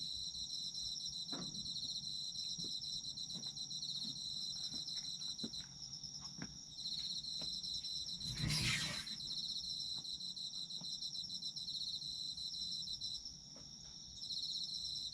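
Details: Night-like chorus of autumn insects, high and continuous, with pulsed trills over a steady ring. Scattered soft knocks and clicks occur, and a brief loud rustling burst interrupts the midpoint before the trilling continues.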